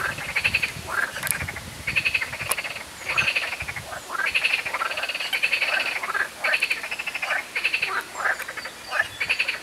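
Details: Many frogs calling from ponds, hidden in reeds, at L'Isle-Adam in the Val-d'Oise, France, while tree pollen falls: a dense chorus of rapid, rattling croaks in overlapping bursts, nearly continuous, with brief gaps between outbursts.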